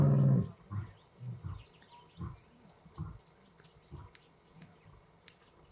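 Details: Lions on Blue Canyon Private Game Reserve during a summer dry spell, two young Madrid pride males learning to roar from an adult male. One loud burst is followed by a fading series of low, grunting pulses about once a second.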